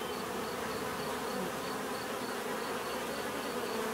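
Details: Natural buzzing of bees forms a constant, even drone layered with broad hiss, with no pauses and a faint regularly repeating high tick in the background.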